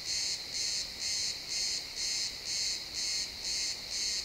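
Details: Crickets in a pine forest at sunset, XY stereo recording: nine sharp, high, buzzy chirps in about four seconds, each a short burst separated by brief silences, very regular.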